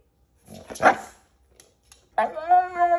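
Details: A Siberian Husky trying to eat a slippery green bean. A person's voice speaks briefly, then after a pause the dog gives a loud, drawn-out, steady, tonal whining vocalization.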